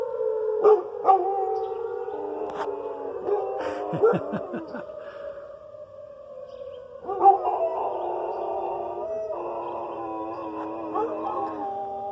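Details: Pet dogs howling along with the weekly tornado siren test, held every Wednesday at noon. A steady wailing siren tone runs throughout, with wavering, drawn-out howls layered over it and a few sharp yelps early on.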